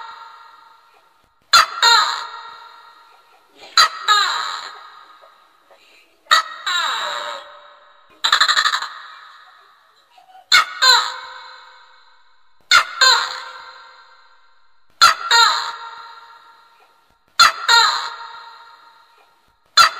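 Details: A tokay gecko, a pest in swiftlet houses that may eat the birds, gives loud, harsh, two-part barks repeated about every two seconds; the recording's pitch has been altered.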